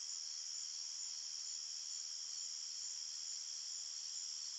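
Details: Nighttime forest crickets form a continuous high shrill drone, many fast pulsing chirps blending into an even, level chorus throughout.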